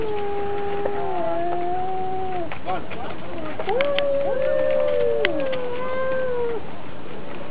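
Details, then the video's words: Fighting domestic cats exchange low drawn-out yowls, several overlapping moaning tones sliding up and down, set against a steady rumbling background noise with scattered clicks. "Драка Котов. Кот против Кота | Cats Fight video Cat vs Cat"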